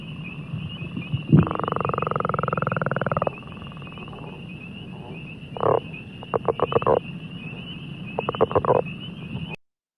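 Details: A northern leopard frog, a pond species in Iowa, gives a long, rattling snore followed by short bursts of low clucking grunts.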